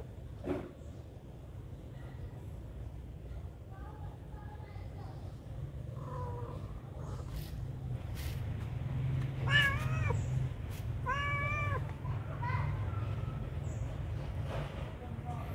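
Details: A hungry cat at a pagoda begs for food with short, wavering meows that grow louder midway, some bent upward then down, set against constant low rumbling background noise.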